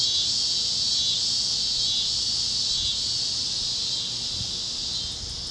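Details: Cicadas chirping over Kansas fields at sunset on a warm Great Plains evening: a dense, steady, high shimmering drone with no breaks, easing slightly in the final half-second, over a faint low rumble.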